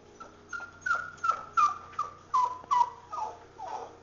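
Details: A Pomeranian dog during grooming gives thin, high whimpering whines, each a short tone sliding slightly downward, repeated about twice a second, roughly eight in a row, over a faint steady indoor hum.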